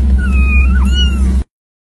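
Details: A single drawn-out cat meow, level and nasal for about a second, then dipping and sweeping upward into a brief rising finish before cutting off, a constant low hum underneath.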